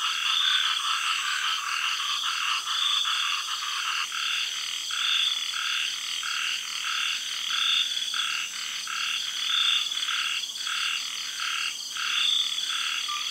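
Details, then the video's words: Frogs calling at night in a tropical garden in Thailand after the early rains. Short croaking pulses repeat roughly every half second to second, over a steady high shrill drone of cicadas and other insects. "Night Sounds-Frogs and Cicadas--Tropical Garden-Thailand"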